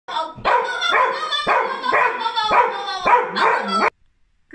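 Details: A dog barking out of a window gives six loud, harmonic barks about every half second, each one rough and falling, then goes quiet.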